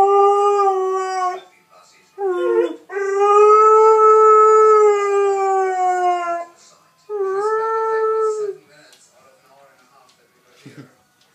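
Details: Six-month-old Alaskan Malamute puppy howling: a short howl, a wavering broken note, then a long sustained clear howl of about four seconds, followed by another shorter steady howl, ending in quiet.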